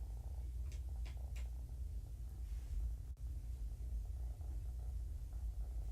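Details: Kitten from a litter found abandoned in a roadside box and taken in by Purrfect Pals, purring contentedly while being handled and flipped around indoors; a steady low rumbling purr runs throughout, with a few soft clicks and a brief knock.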